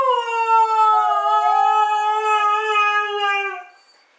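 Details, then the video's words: Siberian Husky asked to sing for a celebration, holding one smooth, sustained howl for over three seconds that sways gently in pitch, then fades to silence. "Mishka the Talking Husky"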